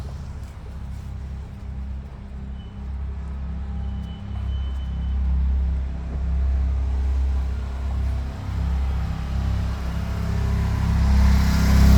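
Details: Steady low engine rumble of a passing vehicle, with no animal voice heard.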